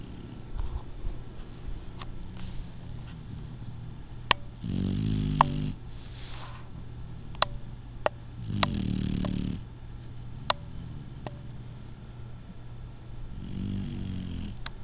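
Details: Asleep, a Shar-Pei puppy gives three rough, buzzing snores at roughly four-second intervals, each a low rattling inhale, with faint sharp clicks scattered through the quiet background.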